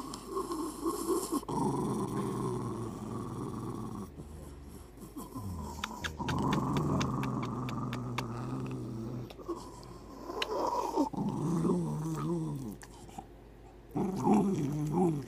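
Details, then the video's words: Hercules, a pet dog moody in the morning, grumbles during hugs and kisses: low rumbling growls and groaning moans in uneven bursts, some rising and falling, with brief clicks and quiet background music. "My Dog Hercules always Moody in the morning"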